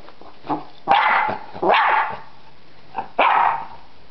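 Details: In a yard a dog called Freddy barks at a butterfly: a soft yip, then two loud rough barks in quick succession, a brief quiet yip, and a final harsh bark.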